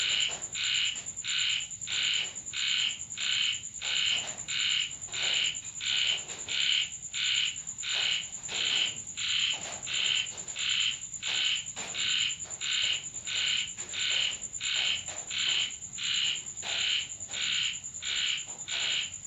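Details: Rainy night in Thailand with a frog calling from a home: evenly spaced, bright nasal croaks about one and a half per second, very regular, alongside a constant high-pitched hiss and soft background patter.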